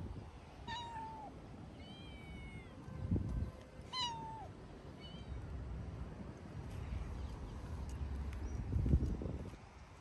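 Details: Sociable stray tabby cat living near a music school in a city, asking to play longer: two clear falling meows about three seconds apart, each with a short chirp between, over steady low street rumble.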